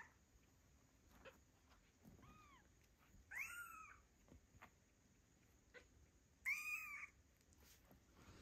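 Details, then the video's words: Two-week-old kittens missing their mother give a few short, high mewing calls, a faint one followed by two louder cries several seconds apart, with soft background hiss between. "Two week old fluffy kittens meow loudly and miss mom"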